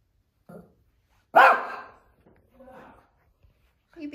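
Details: Female Shih Tzu dog indoors, barking at nothing during her daily rounds of the bedrooms: one sharp, loud bark in the middle, with a woman talking softly to her before and after.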